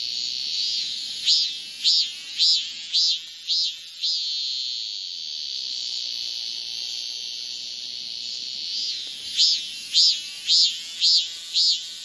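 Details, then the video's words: A male cicada sings to attract a female. A steady high shrill drone is broken by two bursts of rapid pulsed notes, about six quick throbs each, before and after a long even stretch. "암컷 매미를 부르는 수컷 매미의~맴맴맴"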